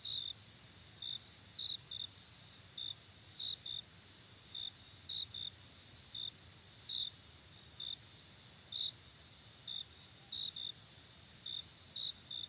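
Brief, high-pitched cricket chirps come in irregular bursts, roughly every second or two. Behind them runs an unbroken, shrill trill from other insects.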